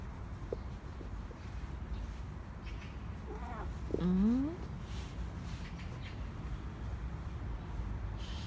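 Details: Indoor Korean shorthair cat from a household of three, pestering for another treat after its owner returned from work; a single brief rising meow midway, otherwise quiet room hum.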